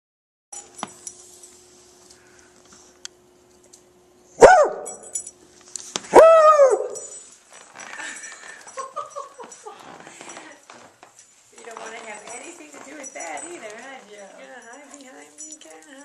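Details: Basset hound named Rusty Joe in Joliet, Illinois, wary of the person filming: two loud, sharp barks with bright harmonics about two seconds apart, followed by softer whining and grumbling vocal sounds.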